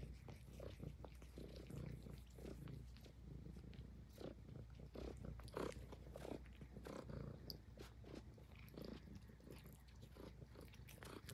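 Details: Purring Highland Lynx cat grooming indoors, with a continuous low throaty rumble under frequent wet licking and nibbling clicks, some bursts louder than others.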